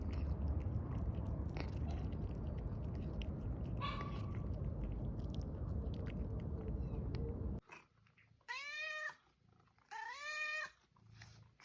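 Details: Domestic cat purring indoors, a steady low rumbling throb for about seven seconds, then it stops and two clear rising-falling meows follow, roughly a second and a half apart.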